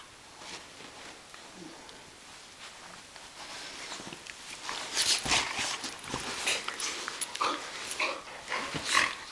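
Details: Indoor play-wrestling in June 2010 between two dogs, a Catahoula Leopard Dog and an Australian Cattle Dog named Bella and Shiloh, on a couch: rough huffs, snorts and scuffling bursts that quicken and grow louder midway, while a woman chats to them.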